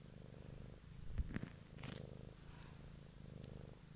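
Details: Domestic cat purring close to the microphone one evening, recorded for ASMR; steady low rumbling purr in pulsed cycles, interrupted midway by a few soft thumps and a brief rustle before the purr resumes.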